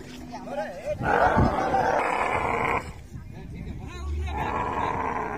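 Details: Dromedary camel in musth, frothing white foam from its mouth, gives a harsh, broad roaring burst lasting nearly two seconds, then a quieter rough rumble, with brief human voices before and between.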